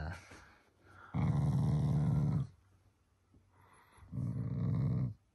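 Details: Loving family Shiba Inu growling playfully toward its owners, not angry; two low, gravelly rumbles of about one to one and a half seconds each, separated by a quiet gap indoors.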